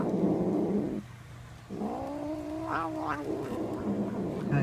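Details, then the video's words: House cat, male, grumbling over a piece of bread: a low, rumbling growl, a short pause, then a drawn-out, steady yowl that wavers slightly before falling back into growling. "My cat makes funny noises"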